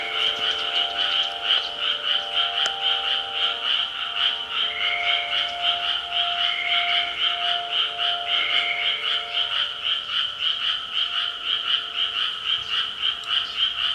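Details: Frogs calling at 6 pm in a dense, continuous chorus of rapid croaking pulses, many callers overlapping, with a few steady tonal hums lower down beneath the chorus.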